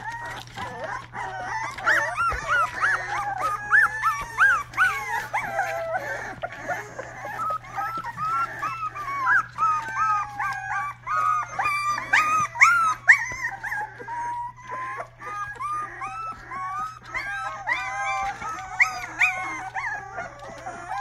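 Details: A young Rottweiler puppy giving its first barks, a long run of squeaky, high-pitched yaps and whimpering yelps, several each second with uneven pauses, some rising into thin wails, over a constant low electrical hum.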